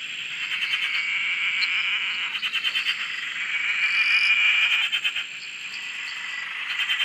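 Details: A dense frog chorus at a dam in Australia gives high, rapidly pulsed trills and creaks, overlapping without pause.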